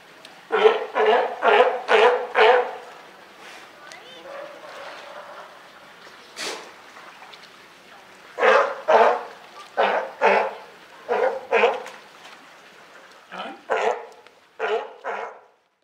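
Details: California sea lion parent and newborn baby, Higashiyama Zoo and Botanical Gardens, 28 June 2023. Bouts of raspy barking: five quick barks, a long lull with one sharp bark, then several more runs of five or six barks.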